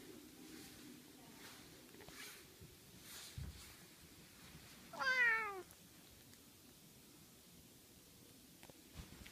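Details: A big, fat, lazy cat that mostly sleeps gives a single short wavering meow midway, rising then falling, against a quiet indoor background with faint low hum.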